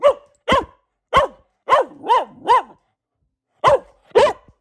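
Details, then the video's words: Barking of a female Boxer kept as a family pet: eight loud barks with a downward-bending tone, several in quick pairs, a silent gap before the last two. "Relaxing Barking from our Dog"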